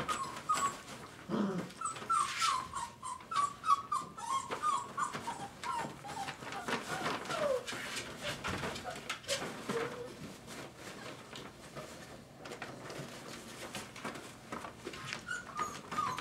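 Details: Five-week-old Dogo Argentino puppies whimper in a rapid series of high, thin, slightly falling whines, then fainter whines later on, over scuffling, clattering movement noises and a little human speech indoors.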